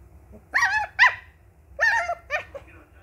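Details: A two-month-old Indian Spitz puppy gives high, yappy barks in two quick pairs.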